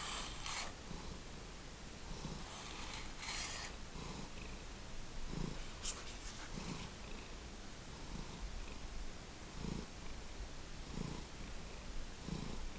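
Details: Domestic cat of the Lucky Ferals household purring continuously, a deep rumbling rhythm of inhale and exhale pulses around every 1.3 seconds, joined by hissy snorting breaths and soft rustles.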